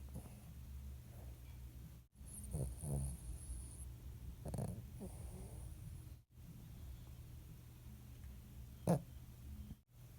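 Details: A rescued Shih Tzu snores with low, rumbling breaths and soft snorts against a faint background hum.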